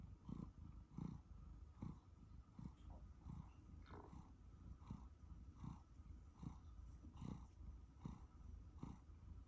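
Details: Sacha, a one-year-old male Siberian Forest cat, purring while being fussed; a low, rumbling purr with soft pulses about once a second, broadband rustling bursts over a steady low hum.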